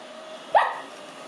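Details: A five-month-old male Lhasa Apso puppy, excited, afraid and curious on first meeting a robot vacuum whose brushes he tried to bite, gives a single short, sharp bark midway, briefly rising then falling, over a quiet indoor hum.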